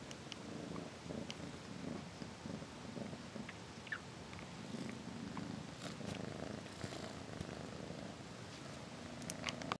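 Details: Close, continuous low purr from a domestic cat, an even throbbing rumble lasting almost ten seconds, with only faint rustles and soft ticks in the background.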